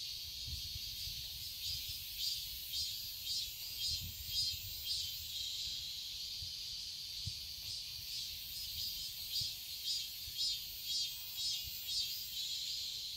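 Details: Garden cicadas during summer in Seoul, Korea, producing a high buzzing chorus with rhythmic pulsing roughly twice per second, plus occasional low thumps underneath.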